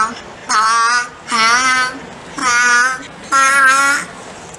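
A young grey seal sings four sustained, tuneful, voice-like notes, copying a musical scale it was taught.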